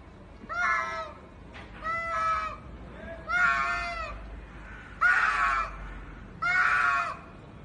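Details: Cats fighting: five drawn-out, harmonic yowls, each about half a second to a second long, separated by short pauses. The later cries grow louder and slightly rougher over a faint low background hum.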